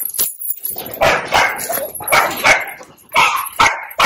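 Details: Young ear-cropped dog barks loudly and roughly several times, about once a second, while its stitches are taken out at home, with rustling handling sounds in the background.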